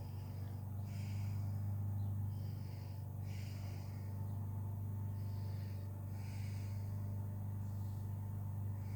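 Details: A 13-year-old female cat purring as she enjoys the day and cleans herself: a steady low rumble runs throughout, with soft rhythmic hissy bursts of licking or breathing roughly every second and a half.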